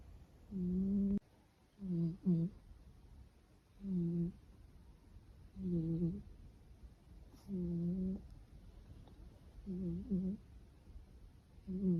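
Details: A blue British Shorthair kitten snores indoors in soft, low, nasal, buzzing breaths. Each breath is often doubled, and they repeat roughly every two seconds over a quiet background.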